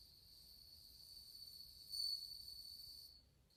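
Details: Bell crickets in August 2020 give a soft, steady high ringing tone with a brief brighter swell near the middle, fading out after about three seconds over quiet low background noise.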